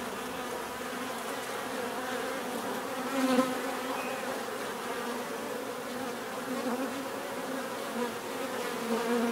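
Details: Bees buzzing in a continuous low drone, a single insect passing close and swelling louder just past the third second, with smaller swells later as others fly by.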